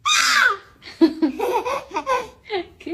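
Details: Loud laughter bursts at the start, then choppy giggling and babbling voices in a small indoor room, with no animal calls audible.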